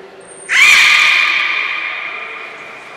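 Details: Belugas in a training session with the whole group taking part at Port of Nagoya Public Aquarium, 2 April 2023: a brief high whistle tone, then a loud, sustained squealing call with a steady pitch that slowly fades over two seconds.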